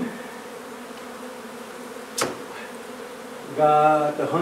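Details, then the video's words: Steady drone of a honey bee colony being removed from an old house under renovation in Donna, Texas; an even humming buzz with a sharp click midway and a brief harmonic, voice-like burst near the end. "Honey Bee hive removal"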